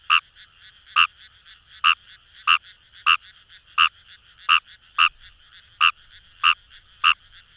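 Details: Fejervarya kawamurai calling in paddy fields at Kamo River, Itoshima, Fukuoka, Japan: loud short clicking croaks repeated about every half to one second over a steady chorus of distant frogs.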